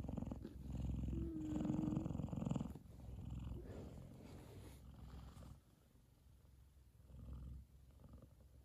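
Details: F2 Savannah cat Kumba, happily cuddling with his brother Taj resting on his head, both fast asleep; low rumbling purr strong for the first few seconds, then fading to a quieter, softer rumble with a brief swell near the end.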